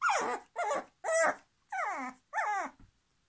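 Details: Puppy whose toy has been taken away cries for it back with five loud, drawn-out whines at roughly two-thirds-second spacing, each sliding downward in pitch, with silence between.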